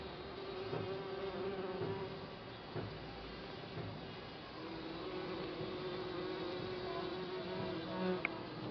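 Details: Continuous massed buzzing from bees nesting in a compost bin for a few months, an even, intense hum of many insects with slight swells and a small click near the end.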